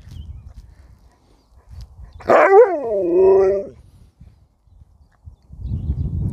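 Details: Pet dog "talking" back to its owner, who teases it about not knowing its way home: one drawn-out vocal howl lasting about a second and a half, starting sharply then wavering and sliding downward, followed by quiet and the owner speaking.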